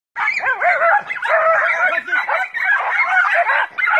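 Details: Several five-month-old Jack Russell Terrier puppies on a wild boar hunt give a continuous chorus of high, excited yips and barks.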